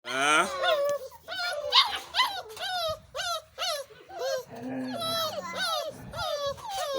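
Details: Five-week-old Boerboel puppies at breakfast time, a chorus of high whines and yelps, each rising then falling, overlapping in quick succession throughout, with a low voice briefly heard near the fifth second.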